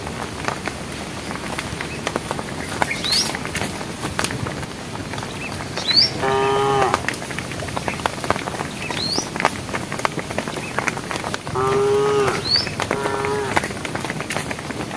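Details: Cows walking in a herd along a project road toward evening, calling the herd; two bursts of harmonic mooing about six seconds apart, the second a double call, over patter and scattered high rising bird chirps.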